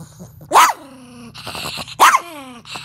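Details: Playful pet Chihuahua during his nightly bedtime routine, giving two sharp high barks about a second and a half apart, with growly grumbles and a drawn-out whine between them, as a woman repeatedly asks for a bite.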